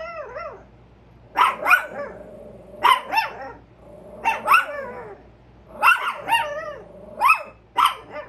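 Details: Two Chihuahuas barking on alert at a squirrel: high, bright yaps in quick doubles every second or so, a soft whine-like tone opening, and a faint hum underneath.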